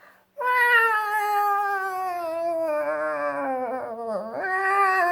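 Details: Two cats outside give a long, drawn-out wailing yowl, one continuous harmonic tone sliding slowly downward, dipping and wavering near the end before rising again; no other sounds.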